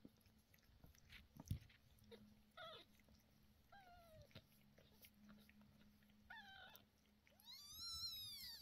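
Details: Cat calls recorded indoors while two 11-day-old kittens with sore eyes get eye medicine, the mother cat upset: several loud, harmonic, downward-bending wails spaced through the stretch, the last one long and arching, with handling noises and a low steady hum.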